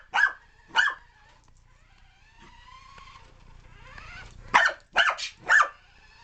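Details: Puppy barking while chasing a remote control car indoors: two yappy barks, a pause filled by a faint whirring motor, then a burst of three quick high barks.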